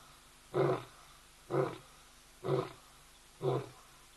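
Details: Lion calling at ol Donyo, Kenya, recorded by a hide camera: four short, deep, coughing grunts, evenly spaced about one second apart, with quiet between them.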